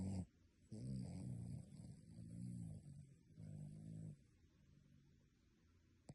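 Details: Dog snoring like a human in its sleep, deep rattling low snores in long drawn breaths, one brief at the start and two longer ones following, then quiet with a faint click at the end.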